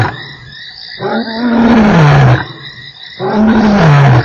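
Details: Lion at Nkorho, 3 March, delivering two long, deep moaning roars, each sliding downward in pitch over about a second, against a background of buzzing insects.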